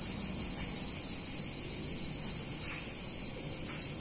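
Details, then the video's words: On a hot summer day in an Italian town, cicadas keep up a bright, continuous metallic buzz, slightly uneven in its pulsing, above a low, diffuse background hum. "Cicadas In Warm Summer Day In Italian Town"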